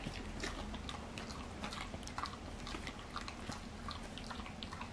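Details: Twin sister Golden Retriever x English Cocker Spaniel mix dogs, Hachimitsu and Crayon, eagerly tearing into oversized sea bream skin jerky indoors; dense crunchy bites and sharp irregular clicks come in rapid bursts over a low rumble of room noise.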